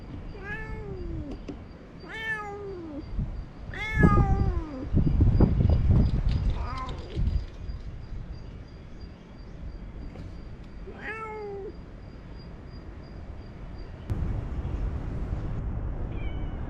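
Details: Talkative stray cat meowing repeatedly, several sharp, slightly descending meows in quick succession, then a pause and one more. Loud rustling and handling bursts sound between the calls, with a faint high tone behind.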